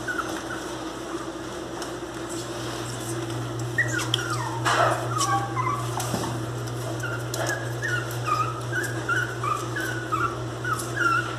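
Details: Miniature Pinscher puppies cry loudly in thin, high whimpers that slide up and down, over a steady electrical hum.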